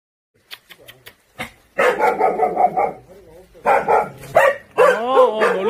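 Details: Jindo dog recorded on Jindo island, South Korea: a run of rapid, harmonic barks, then more barking bursts with a rising and falling whine-like yelp near the end; faint speech at the start.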